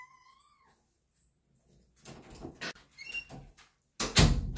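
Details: Kitten at dinner time indoors gives one clear meow that rises slightly and then holds level at the start. Rustling, clattering and knocking noises follow, ending in a loud thump.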